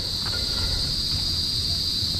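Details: Crickets chirping at night outside a home before rain begins; a continuous high, even trill dominates, over low rumbling background noise.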